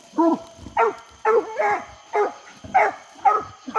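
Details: English Coonhounds out coon hunting on a hot summer night give loud, harmonic barking bays. About eight calls come in four seconds, roughly two per second, each with a short rising-falling shape. Faint steady background hum throughout.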